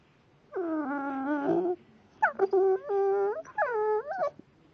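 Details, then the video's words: Blue Staffordshire bull terrier puppy making strange noises: three drawn-out, tonal whining cries with rich harmonics, each about a second long, the first wavering and the last two dipping then rising at the end; quiet room otherwise. "Blue staffy puppy making strange noises!"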